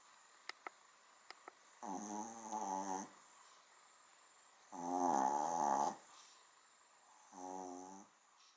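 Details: A small dog sleeping indoors gives three softer rasping snores, uneven in length, with a couple of faint clicks near the start.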